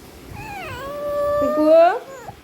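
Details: American Bully puppy named Mikku, a pet in Kerala, giving one drawn-out tonal whine: it dips at first, holds steady, then rises sharply before cutting off, indoors with quiet room noise.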